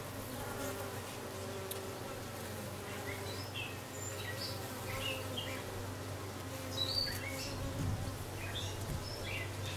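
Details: Newly arrived dark queen honey bee, 6/5/13: sustained low droning buzz with overtone bands rising and fading, a brief louder swell near the eighth second, and scattered bird chirps above.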